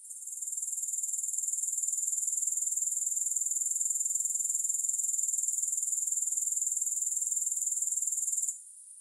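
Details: Grasshoppers heard without music: a thin, bright trill rises gently, holds a steady fast pulse for several seconds, then stops sharply near the end.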